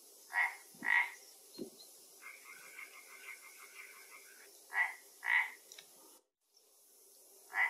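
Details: Frog in a Galician pond where an Asian hornet fell into the water: nasal croaks in pairs, with a fast rattling trill lasting about two seconds between them, in quiet surroundings.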